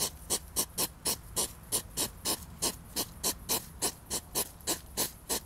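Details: Hedgehog pair in a mating struggle: hissy, breathy snorts repeated quickly at about three per second, each a sharp burst, with soft low background noise.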